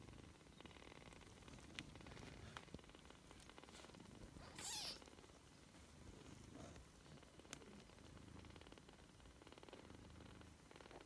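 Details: Three-week-old British Shorthair kittens purr softly, a steady low rumble with a brief higher squeak midway.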